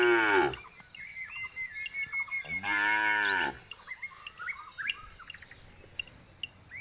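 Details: The tail of one moo opens, then a jumbo bull gives a full harmonic bellow of about one second; chirping birds continue underneath and afterward.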